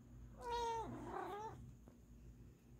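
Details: A female Siamese cat gives a single drawn-out, wavering meow that dips and then rises again.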